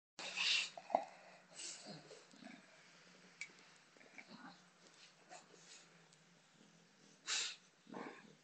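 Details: Botox, a female bulldog, playing with a soccer ball indoors: short breathy snorts and sniffing bursts, one sharp huff near the first second, then scattered soft grunts and a loud snuffle toward the end.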